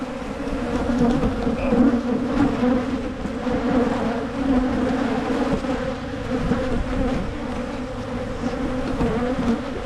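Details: Honey bees at a Michigan beekeeper's hives during hive splitting to prevent swarming. A dense, steady low buzzing drone holds throughout, swelling slightly around two seconds, with faint handling clicks.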